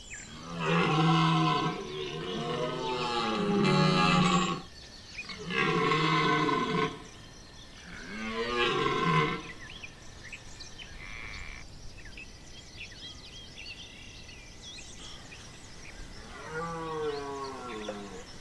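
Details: Red deer stag bellowing during the September 2021 rut at Chambord, France: three long, loud, harmonic roars with wavering pitch, each lasting about two seconds, followed by quieter calls and a final bellow; birds chirp faintly in the gaps.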